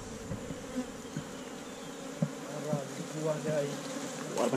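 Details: Honey bees humming around their hive in a hollow tree trunk as honey hunters harvest it, GoPro Hero5 Black: a continuous low droning buzz with layered tones, broken by light taps and clatter.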